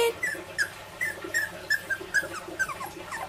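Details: Miniature Labradoodle puppies, 20 days old, giving a string of thin high squeaky whimpers and yips, about a dozen short descending squeals over three seconds, with a person's voice greeting them nearby.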